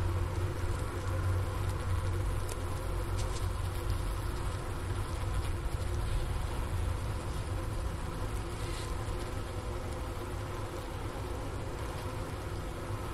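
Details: Honey bee hive sound on a 15 °F January afternoon at the Wooster campus of Ohio State University, captured at the inner cover hole beside leftover sugar brick: dense low steady buzzing drone, even throughout, with faint crackles.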